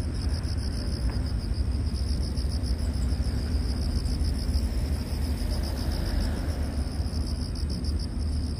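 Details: Bang-a-bi, the long-headed grasshopper Acrida cinerea, gives a continuous high-pitched pulsing buzz, rapid and even across the whole stretch, with strong low-frequency rumble underneath.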